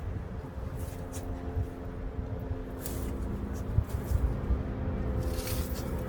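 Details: Low rumbling engine noise inside a vehicle or small room, with faint clicks and rustles but no animal call.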